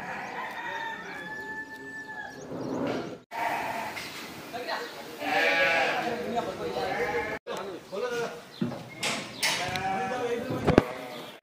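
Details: Feeding time at Zaahi Goat Farm in Virar, Mumbai, where goats are boarded: strained, quavering bleats from several animals rise and fall between brief breaks, mixed with clattering, scattered background noise and a sharp knock near the end.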